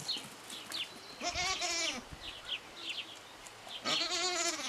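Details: Goat kid barely three days old, born with malformed front legs that stop it using them properly, given a makeshift splint of pipe and tape in Parignargues, France; two loud quavering bleats, the second at the end, with scattered rustles.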